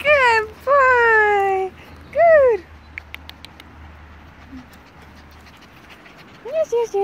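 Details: Border Collie puppies, fourteen of them, playing outdoors in a field: two long nasal whines slide gently downward, then a short rising-falling whine, faint rustling between, and a couple of brief wavering cries at the close.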